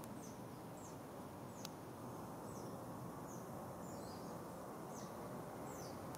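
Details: Smooth-coated otter family of two adults, one juvenile and six pups, nomadic and wild in Singapore, morning of 6 July 2024: thin, high descending chirps repeated about twice a second over steady broadband background hiss.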